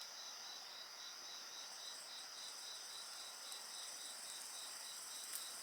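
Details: Chorus of insects by a campfire, one voice a continuous high ringing buzz, another a rapid pulsed chirp about four beats per second, with faint fire crackles and a brief higher shimmer late on.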